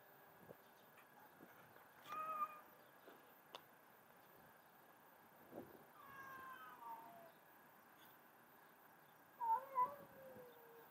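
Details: Playful white cat, described as mad at its owner, gives three separate meows: a short one near the start, a longer drawn-out one with a falling tone in the middle, and a final brief double meow, with a quiet indoor background.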